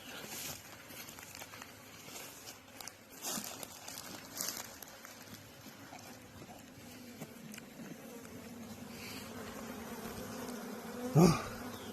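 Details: Bees at a newly started beekeeping hive, a steady low buzzing under scattered taps and rustles, swelling louder toward the end with a sharp thump near eleven seconds.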